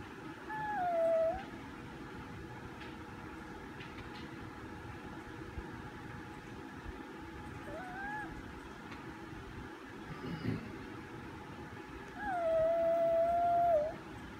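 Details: Male Chihuahua howling in a room: two sustained, slightly wavering howls, each about one to one and a half seconds and ending with a dip, separated by a long quiet gap with low hum.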